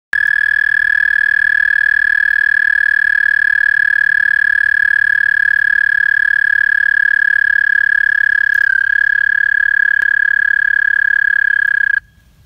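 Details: American toad calling in Québec, Canada, in 2022: one long, steady, unbroken musical trill on a single pitch, held for about twelve seconds before stopping abruptly.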